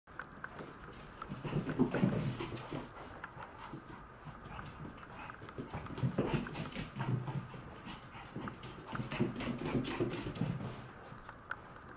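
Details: Maltese dog, described as seemingly happy, panting indoors: rapid breathy huffs repeated about four times a second, coming in louder surges around two, six and ten seconds, with soft low background noise.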